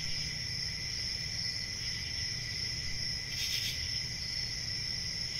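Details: A steady, piercing cricket trill runs without pause, broken once by a short, louder rasping burst near the end. Faint low-frequency background noise.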